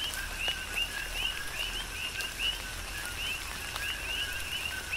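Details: Big Island, Hawaii: coqui frogs call through a rain shower, many high rising two-part whistles overlapping in a steady chorus, with a constant hiss of rain and occasional louder drops.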